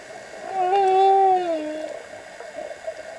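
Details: Humpback whale singing underwater, recorded during a dive: a single long moaning tone around the middle, steady then sliding slightly downward, with a fainter lower parallel tone and soft bubbling water behind.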